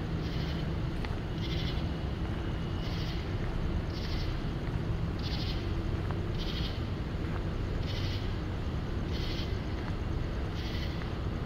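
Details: Cicadas singing at night on the University of North Carolina campus in Chapel Hill, a pulsing chorus of broad buzzy bursts repeating roughly every 1.2 seconds over a steady low rumble.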